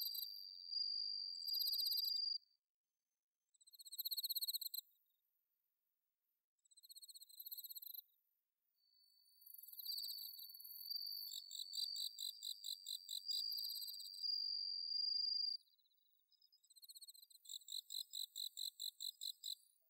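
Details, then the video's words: Autumn-night bell cricket chorus from Inba-numa paddy fields in Chiba, Japan, recorded on a Zoom H6; high, bell-like trills come in separate bursts with short gaps, then a long steady ringing note joined by rapid pulsed chirping. "秋の虫の鳴き声 スズムシ コオロギの鳴き声"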